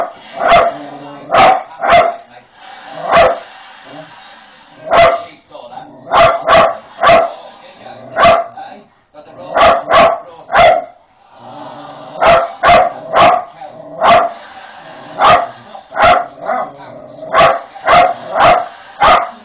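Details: Poppy the pet dog barking at Paul O'Grady on television: sharp single and doubled barks, in bursts of two to four, with a person talking and television sound between them.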